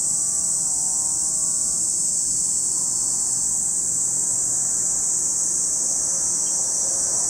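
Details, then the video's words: Steady, piercing buzz from many cicadas at Lake Kamo on Sado, Niigata Prefecture, Japan, never letting up; a brief faint wavering tone sounds near the start beneath the drone. "Lake Kamo in Sado City, Niigata Prefecture, Japan, where you can hear the voice of cicadas."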